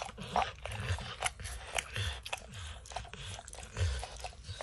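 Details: Max, a dog, licking and snacking on peanut butter and kibble stuck in an orange lick mat, indoors. Wet smacking laps and soft crunches come in quick irregular bursts, with low thuds underneath and no talking.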